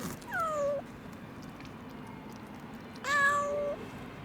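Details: Two clear plaintive meows, nearly three seconds apart, from a rescued kitten abandoned in the snow at -11°C for two days; each cry drops in pitch and then holds steady, with a faint hum behind.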